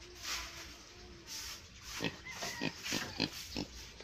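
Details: Native pigs in a small pen, giving short, rough grunts in a quick, uneven series of about eight bursts in the second half after a quieter start; a faint thin squeak or whistle is heard among them.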